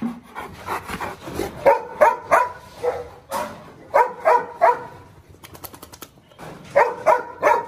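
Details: Presa Canario, a lame 'dog king' still marking its territory, barking in quick bursts of three sharp, ringing barks, each burst separated by a pause of about two seconds, with faint rustling and a brief rattling noise between bursts.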